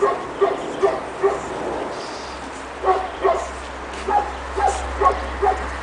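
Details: High squeaky barks from young Pekingese puppies, aged two and a half months, meeting snow outdoors for the first time in Tallinn, Estonia; evenly spaced single yaps, then a short gap and another run of yips.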